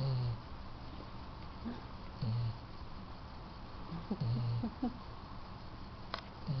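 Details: Riley, a female yellow Labrador Retriever, sleeping at night in her owners' bed, unaware of being taped; low rasping snores come at uneven intervals, the strongest near two and four seconds, between softer short snorts.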